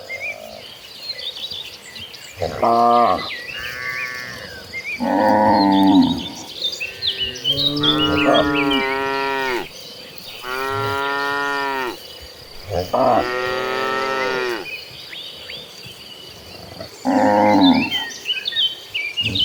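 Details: Dozens of cattle walking toward a lush green pasture moo in turn, giving deep, drawn-out lowing calls over faint chirping insects or birds.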